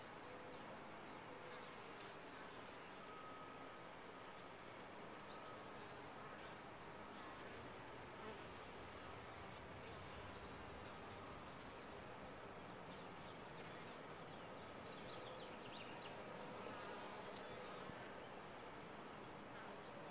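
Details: Continuous buzzing of honey bees within a top-bar hive: a thick, unbroken drone holding a constant level for twenty seconds, flecked with occasional brief higher-pitched tones from individual bees passing close.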